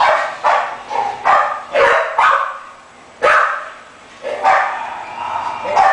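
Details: French Bulldog giving a run of fairly loud, slightly hoarse barks, several in quick succession, then a pause and a few more.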